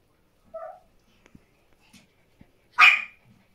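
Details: Morning scene of Bambi, a Pomeranian female, resting with her puppies; a brief thin whine is followed by a few soft taps, then one loud, bright, harsh bark near the end in an otherwise quiet room.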